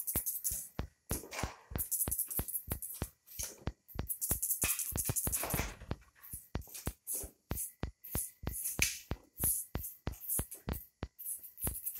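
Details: A steady drum-machine beat and backing music fill the clip, with faint speech and no animal calls.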